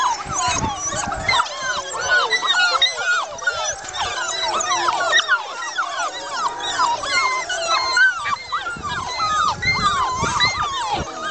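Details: Old English Foxhound pups being woken for their afternoon feed: a dense, continuous chorus of many overlapping high squeaky whimpers and short yelps, rising and falling without pause.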